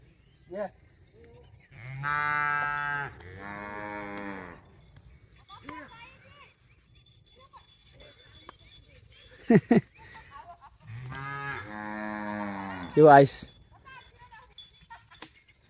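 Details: Cattle on a traditional Konkan farm in India in the sowing season; two long, deep, harmonic moos, the second rising at its end, each lasting over a second, with people's voices and short clatters between them.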